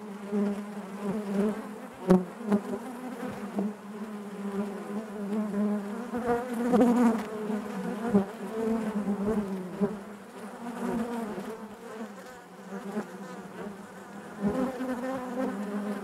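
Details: Continuous buzzing of honey bees within the hive, a thick low-pitched drone with many overtones, a few sharp clicks early on and fluctuating loudness throughout.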